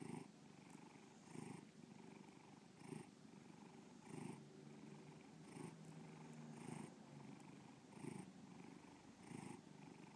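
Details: Pet cat Bubba purrs steadily, a deep rumbling vibration that rises and falls in rhythmic pulses about every one and a half seconds, around seven breath cycles with no other sounds.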